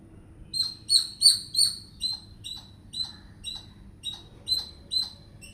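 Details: Squirrel communicating with chatter: shrill squeaky chirps in quick succession, the loudest and most piercing early on, then a gradually softer series of evenly spaced clicks and squeaks.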